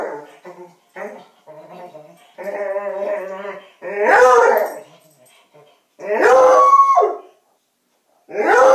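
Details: Pet coonhound reacting to a Halloween doll found in a bed: short yelps build into a sustained wavering howl, then three loud broad baying calls spaced about two seconds apart.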